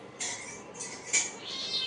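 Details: Cat giving short, very high, thin mews in quick bursts, about four over two seconds, with soft room noise and a woman talking to it in Bengali nearby.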